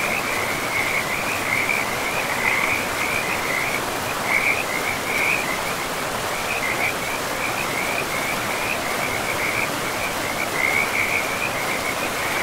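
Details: Frogs beside a river deep in a pristine forest with moss-covered land, giving rapid, high trilled pulses in bursts throughout, sometimes overlapping, over a constant hiss of rushing river water.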